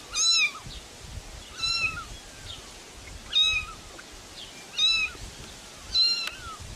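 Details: Five short, bright meows come from a cat at roughly one-and-a-half-second intervals, each with a brief rise and fall in pitch, against a soft hiss and low rumble.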